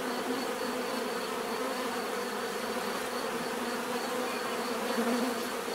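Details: Many bees humming in one unbroken, uniform buzz, the low drone steady throughout with a brief swell near the end as a bee comes nearer.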